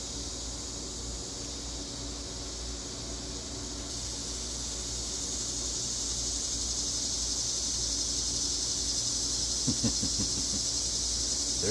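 Cicadas sing a steady, high, hissing drone that swells louder partway through.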